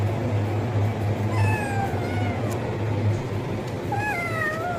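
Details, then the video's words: Kitten begging for food with loud meows: two or three drawn-out, wavering harmonic cries, the last one rising sharply, over a continuous low droning hum. "Cat meowing sound effect - kitten meowing loudly for food"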